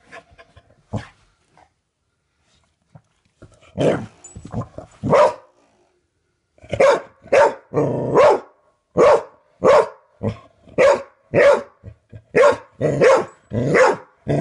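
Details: Dog indoors reacting to a flicked doorstop: scattered faint sounds and a few barks at first, then a rapid, steady series of sharp, punchy barks through the second half.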